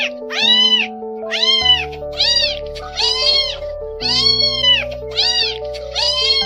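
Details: Abandoned stray kittens rescued from the rain meow insistently, about one call a second, with arched, strongly harmonic cries. Steady background music plays throughout.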